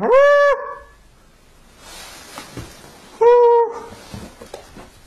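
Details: Husky at play, with two short, clear whining howls about three seconds apart, each steady and even in pitch, followed by soft rustling and background noise.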